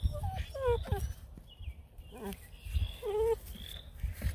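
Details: Several Bluetick Coonhound puppies at a Canadian kennel whine as a person sneaks up without speaking; short, bending, falling whimpers come in quick clusters over steady low background noise and shuffling.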